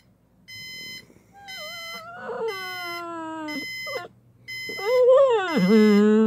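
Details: Pet pit bull named Jäger responding indoors when the alarm clock goes off: long, drawn-out whining howls that slide downward, then a louder rising and falling wail, over steady repeated electronic alarm beeps.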